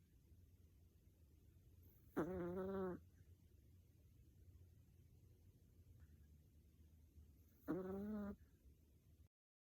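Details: Snoring Chihuahua puppy giving two short, tonal, wheezy snores about five seconds apart, each under a second long, over a soft low hum.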